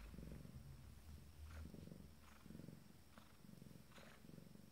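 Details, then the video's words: Abyssinian cat Wind Song, a female expecting her first litter, minutes before giving birth; low, steady purring in rhythmic pulses roughly once a second, with soft breathy rasps between, quiet and close. "Wind song 1ere portée - quelques minutes avant la mise bas"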